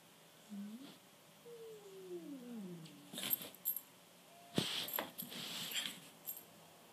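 A small Pekingese-Chihuahua mix dog gives a brief rising yelp, then a long falling whine-like howl.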